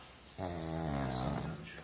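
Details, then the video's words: Little pug snoring while asleep indoors: one drawn-out, low, buzzy rasp lasting about a second, with a steady droning tone and a slight rise at the end, in a quiet room. "Храпящий мопсик"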